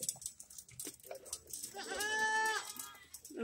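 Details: Goats on a ranch in the countryside, one long quavering bleat lasting about a second, with a man speaking Spanish before it and background rustling.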